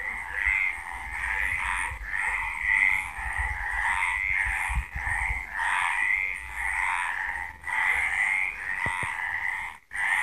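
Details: Night-time frog chorus from Villa del Campo in Extremadura, Spain, many animals croaking together in rapid, rolling pulses that swell and fade every second or two, with a few brief sharp clicks near the end.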